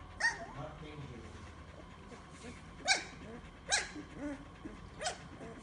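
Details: Samoyed puppies 15 days old, eyes just opened, starting to move and walk, let out short, thin whimpers and squeaks, each rising then falling quickly, at uneven intervals with faint murmuring and rustling between.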